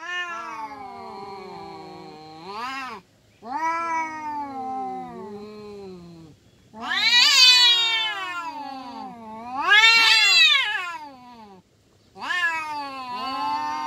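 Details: Two kampung cats fighting, trading long moaning growls broken by short silences, then escalating into two piercing screeching wails and a final rising yowl.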